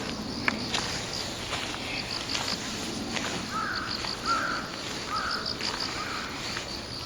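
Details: Insects recorded on 10/8 in a setting shared with crows: a high, steady chirping made of short pulses repeated in quick bursts throughout, with a few short mid-pitched rising notes near the middle and scattered soft clicks in the background.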